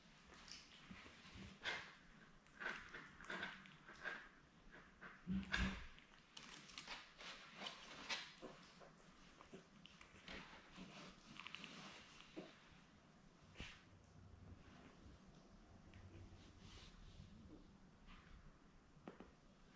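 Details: Newborn Labrador Retriever puppies, a litter of seven born May 24, 2021, with their mother Belle, indoors: frequent soft squeaks, whimpers and grunts in irregular bursts, with quieter shuffling between calls and a low steady hum underneath.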